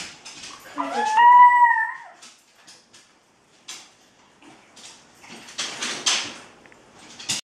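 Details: Red and white female Staffordshire Bull Terrier, anxious around other dogs, during a training visit from another dog; one drawn-out tonal whine wavering up then down over about a second, then quiet rustling and handling noises indoors.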